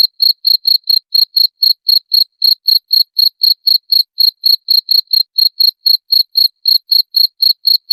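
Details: Steady, loud cricket chirping about four times a second for the whole eight seconds, each chirp short, shrill and high; played to drive off rats, with nothing else audible.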